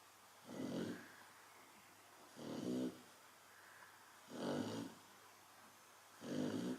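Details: Chow Chow dog snoring steadily while sleeping, four evenly spaced rough, throaty breaths recurring roughly every two seconds, with silence in between.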